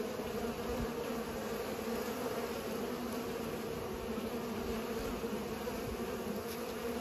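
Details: Many bees pollinating, a steady droning hum with bright bands near the low-middle range, continuous and even throughout without pauses, no other clear sounds.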